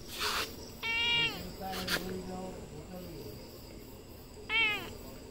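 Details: Domestic cat giving two short, bright meows about three and a half seconds apart, each one dropping slightly in pitch at the end, with a few faint lower murmurs between them over a steady background hiss.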